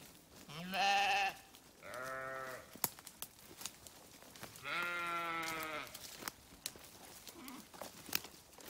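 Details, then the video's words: Sheep giving three bleats in quick succession: a high, tense cry, a lower softer 'baa', then a longer trembling bleat, with occasional clicks and knocks in the background. "Sheep Sounds"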